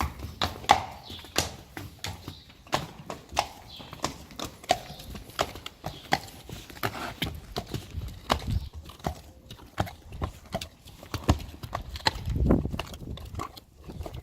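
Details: A herd of Friesian horses heading outside, eager and moving quickly, hooves knocking in a steady stream of sharp clops with some low rumbling thuds mixed in.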